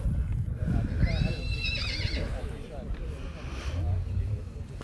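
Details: Black Forest cold-blood filly at a foal show in Sankt Märgen, Germany, 12 August 2021, born 18 February 2021; one shaky, trembling whinny near the start, with low rumbling noise and people talking around it.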